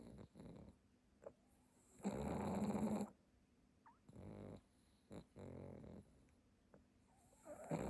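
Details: A pug napping on his cushion snores in rough, rasping bursts, each breath a low rattling snort with quiet pauses between.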